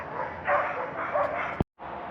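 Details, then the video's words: Excited sled dogs at the Iditarod Trail Race Headquarters in Alaska give a couple of sharp, mid-pitched barks over a steady background din. "You can hear the sled dogs all excited."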